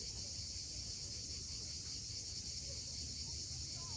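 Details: Cicadas at sunset on the steep coast of Cape Fiolent, Crimea: a steady, unbroken high hiss-like drone that never pauses, over a low rumble of surf, with a faint bird chirp near the end.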